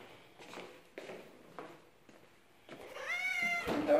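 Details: Male house cat Tulip welcomes his returning human after a three-day absence. Faint soft voice sounds lead into one long, loud, wavering meow in a small room.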